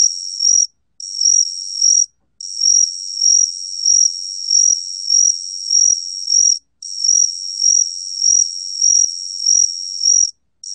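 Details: High continuous trill of a gaksi cricket, recorded in 2020 by the National Institute of Biological Resources, beating in loudness more than once a second, with a few brief breaks and a silent background.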